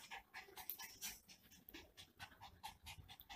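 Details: Miniature Pinscher in a home after misbehaving while its owner was at work: fast, breathy panting, roughly a pant and a half each second, soft and hissy with irregular rhythm, a person speaking quietly around it.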